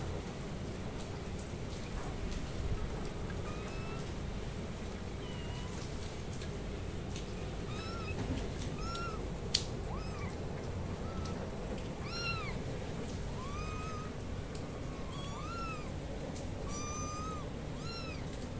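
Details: Several kittens meowing loudly. After a quiet start, short high rising-and-falling mews come in quick succession through the second half, some overlapping, over a steady low rumbling hiss.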